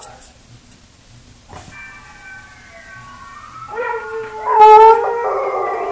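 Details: Buster the dog howling at himself: a quiet thin tone slides upward, then swells into a louder wavering howl with a brief bright peak before easing off.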